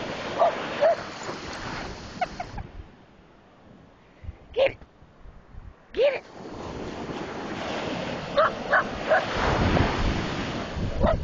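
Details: A dog running on a beach gives short, sharp barks, singly and in quick pairs, at the crashing waves over the steady roar of surf.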